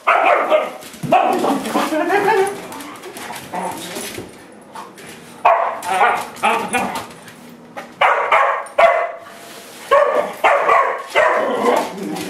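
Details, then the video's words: Angry barking from pet dogs confronting a broom while being played with; clustered harsh barks and higher yips in ragged runs, a quieter stretch midway, voices audible beneath. "Dogs get mad at Broom"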